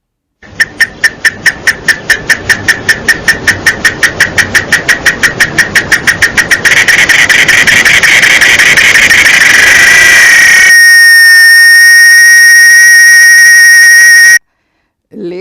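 A cicada sings in rapid clicks that speed up and merge into a loud, steady, shrill buzz.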